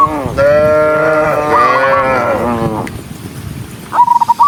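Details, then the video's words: One long, deep, sustained moo from a herd of dozens of tame cattle walking on foot, fading out, followed by a short burst of rapid high pulsed notes. "cow Sound cow Moo"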